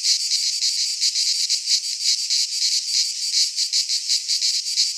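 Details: Cicadas singing in midsummer in a Greek pine forest: a dense, shrill, high-pitched buzzing chorus that pulses steadily about three times per second, with no other sounds.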